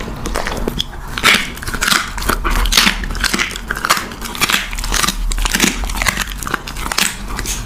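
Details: Puppy at its meal in close, intimate sound: crisp crunching chews and wet clicks arrive in bursts about every half second, indoors with no other clear sounds.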